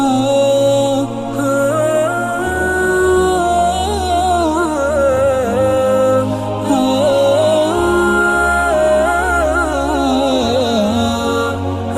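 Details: A melodic, ornamented vocal chant sings continuously over a low sustained drone, with no animal calls heard.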